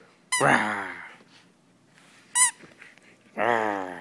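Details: Sam, a female German Shepherd, during a tug-of-war bout indoors, gives two strong, drawn-out harmonic growl-like vocalizations separated by a brief high squeak, in a small quiet room.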